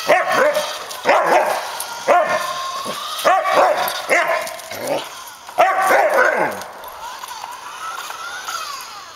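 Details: Samoyed dog barking while chasing a remote-controlled car, with sharp separate barks every second or so, some with yelping tails, then fading into a thin whine near the end.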